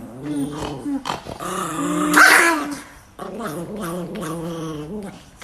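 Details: Chihuahua puppy, kept as a household pet, growling and grumbling in low, drawn-out harmonic tones broken by short pauses, with a brief louder, rougher outburst midway through, indoors.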